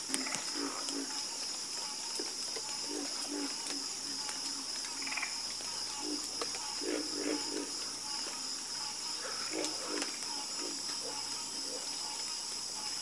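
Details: Frogs croaking together at night in rapid, uneven pulses, several callers overlapping into a busy rattling chorus beneath a steady high insect whine.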